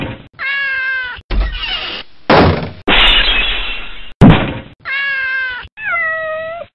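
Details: Domestic cat meowing in short bursts: three clear harmonic meows, the last steady and drawn out, set between loud thumps, bangs and noisy clattering.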